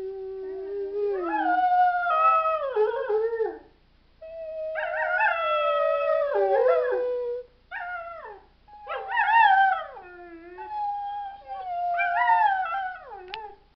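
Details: A dog's howls come in several bouts, each one wobbling up and down in pitch with yodel-like breaks and downward slides, separated by brief pauses.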